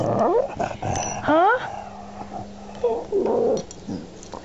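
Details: Amber, an angry pet dog, "talks" indoors: sliding whines and yowls rising and bending in pitch, broken by low growly mutters, repeated in short bursts while a woman talks to her.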